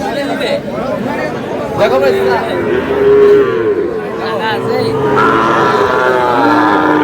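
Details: Sahiwal cattle, bull calves, lowing at a busy livestock market on 21 February 2026 where a farmer from Cumilla is buying. Several drawn-out, steady moos rise above a constant hum of bargaining voices and crowd chatter.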